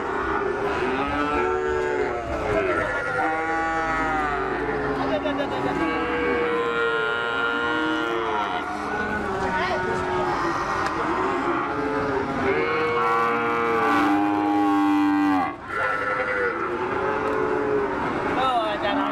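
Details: Limousin × Ongole crossbred calf at a cattle market in May 2018 during Ramadan; repeated drawn-out moos with clear stacked harmonics, one after another through the clip, several overlapping, over steady crowd and market noise.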